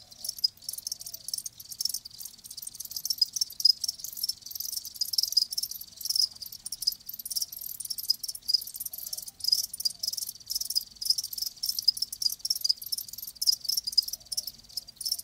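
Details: A steady chorus of live crickets, thin high-pitched chirps repeating rapidly and overlapping without pause, no other sounds heard.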